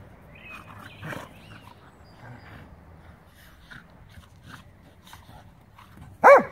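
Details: A Scottish Terrier and a Schnauzer at play on a Sunday; quiet scuffles and small grunts, then a single abrupt, loud bark at the very end.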